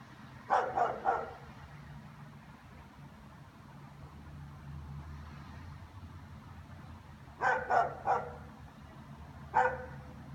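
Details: Barking German Shepherds, a group that carries on all afternoon: a quick triple bark, a long pause, another rapid triple, then a single sharp bark, over steady low traffic-like rumble.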